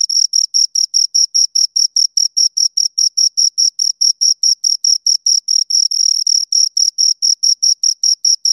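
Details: Loud, close cricket chirping from two crickets, a piercing high note pulsed rapidly and evenly, some pulses slightly merging, with a silent background.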